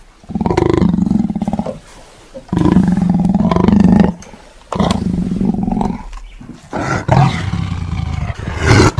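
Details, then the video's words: Tiger roaring in four long, deep, rumbling bouts of about one and a half seconds each, separated by short pauses, with the last bout rougher and more broken. "Suara Harimau ( suara binatang )"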